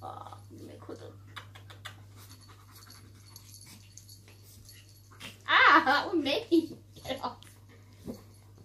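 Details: Two pet dogs, Shadow the German Shepherd and Poppy the Chihuahua, grumble irritably at each other over their owner. After quiet panting, one loud, rough, strained outburst swells for about a second, followed by a few shorter grumbles.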